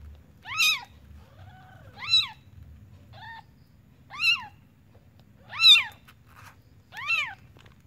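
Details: Newborn kitten in a village home, calling with high, arched mews that rise then fall, about five cries spaced roughly a second and a half apart, with a faint low hum underneath.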